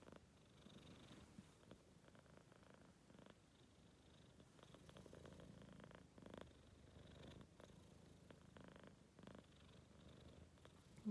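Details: Four-month-old Maine Coon cat, tired out, snoring or purring: a soft, low rumbling drone with rhythmic breathy pulses and short louder swells every second or so, steady throughout in a quiet room.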